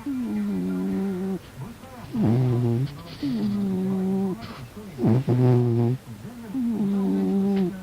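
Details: Snoring house cat fast asleep. Wheezy nasal whistles alternate with rough, deep, buzzing snorts, each breath lasting about a second, with the pattern repeating steadily and no other sounds.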